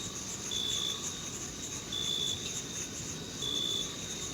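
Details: Crickets chirping in a June meadow in summer; three clear high chirps about a second and a half apart over a dense, continuous high-pitched insect buzz.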